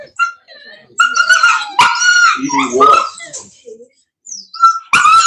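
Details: Italian Mastiff, or Cane Corso, kept by a breeder near Nashville, Tennessee, whining in long, high, pleading tones broken by brief yips, with a person's voice heard between the cries.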